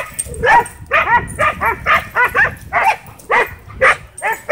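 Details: Dogs at a dog park whipped into a frenzy by a DJI Mavic 2 drone, giving rapid, arched harmonic barks about twice a second, some overlapping as several dogs bark together.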